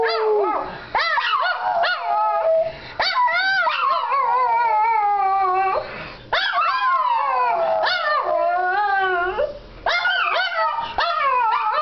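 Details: Two Shih Tzus, prompted by their owners to "sing," howl together in long, wavering, overlapping cries that rise and fall in pitch.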